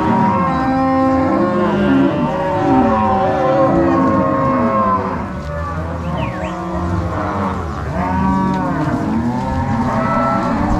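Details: Angus-Nelore cross cattle herded from the corral to pasture by three cowboys with six dogs, Paraná, Brazil, 16 March 2022; a dense chorus of overlapping lowing cows, deep drawn-out moos rising and falling without pause.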